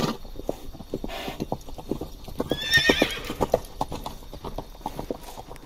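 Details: Horse from a herd of stallions and mares ridden along a beach: one brief, high, quavering whinny near the middle, over steady clip-clop hoofbeats that run through the whole recording.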